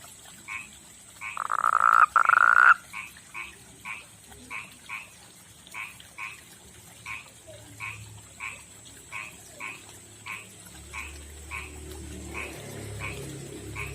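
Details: Rough-skinned male frog of a backyard pond and river calling a female; one loud, long, harsh call opens, followed by steady short croaks roughly every half second, with a low hum later.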